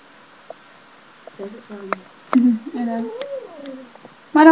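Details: A talking pet cat named Kairi, refusing to leave a lap indoors, makes a long, wavering, speech-like meow that dips, rises and falls like a protesting "nooo", then starts a louder call at the end. The room is otherwise quiet.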